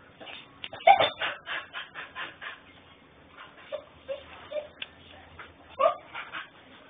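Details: Puppy in Houston, Texas, captured by mobile phone, giving a louder opening yelp followed by short whimpers and soft whines in quick succession, with faint background hum.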